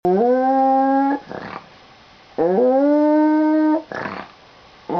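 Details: Pet dog making a weird noise just before its owner leaves for school: long, steady, tonal howls about a second each, separated by short breathy sniffs or whimpers, repeated twice.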